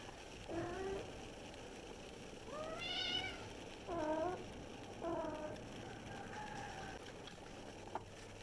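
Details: Kittens meowing while playing: several short, wavering meows about once a second, some rising and falling, one higher and brighter, over a steady low background hum.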